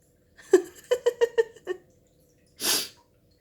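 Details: Pet cat Rani indoors, scolding her owner as she does each time the owner sneezes, though not for coughs: six short nasal, harmonic mews in a quick stuttering run like 'eh-eng-eng-eng', then a loud human sneeze.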